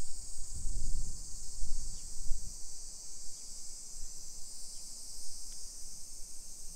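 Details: Continuous shrill cicada chorus on a July 2021 afternoon walk in suburban Nisshin, Aichi, Japan; the high buzzing band holds level throughout while low thuds and rumble, like footsteps, swell during the first two seconds.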